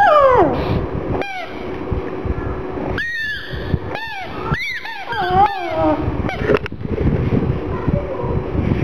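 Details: Black pug Gong Fu crying sadly about a little ball: an opening whine sliding down, then a cluster of short, arched whimpers in the middle, fading into low rumbling noise at the end.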